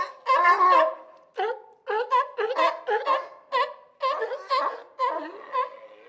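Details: Sea lion giving a run of hoarse, honking barks, about ten in six seconds, each a short rich harmonic burst, some doubled, with brief gaps between; no other sounds.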